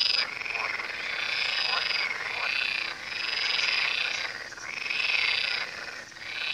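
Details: A chorus of frogs at the Tywa river, with overlapping rattling croaks rising and falling in waves roughly every one to two seconds, never pausing.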